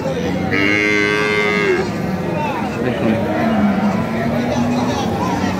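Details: Cattle at a large market with cows, calves and goats: one long, wavering moo early on, then a lower, drawn-out bellow, over constant crowd noise.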